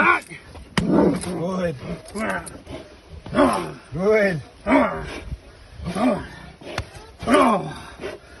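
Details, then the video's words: Deep, arching barks from Uran von Elberfeld, a Giant Schnauzer working against a protection decoy, repeated about every second with rich harmonics, some overlapping, amid outdoor background noise. "giant Schnauzer working!"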